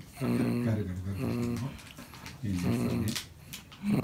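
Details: Cream-coloured male Pomeranian, thirteen years old, growling quietly indoors while trying to get a toy by himself rather than letting his owner fetch it; low rumbling growl bouts of about a second and a half, separated by short pauses.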